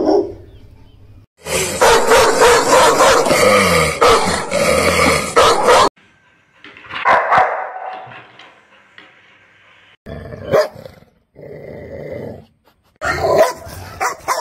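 Rottweiler barking in deep, harsh bursts, with short separate bouts of barks and yips.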